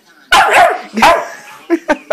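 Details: Male German Shorthaired Pointer x Boxer puppy, playful yet fussy, barking when told to speak: two loud broad barks followed by three short clipped yips at the end.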